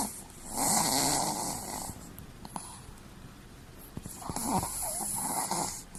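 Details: Sleeping Chihuahua lying with its eyes rolled back to show the whites, giving two long, breathy, rasping snores, each about a second and a half, with a quieter stretch of soft breathing between them indoors.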